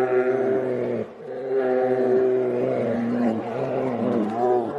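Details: Two grizzly bears fighting, growling and roaring in deep, sustained, rumbling bursts.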